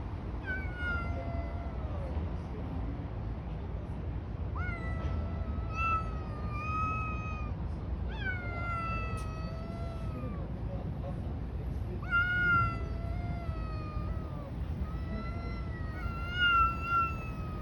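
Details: Street cats fighting outdoors, giving long drawn-out yowls with wavering harmonic tones, several sliding and falling at the ends, in bursts separated by short gaps over steady low traffic-like rumble.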